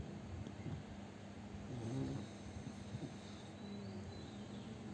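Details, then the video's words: Fat pug dog asleep and snoring loudly; one rough, rumbling snore swells near the two-second mark over a steady low hum. "น้องหมาปั๊กอ้วนนอนกรนเสียงดังหนักมาก 😴 Snoring"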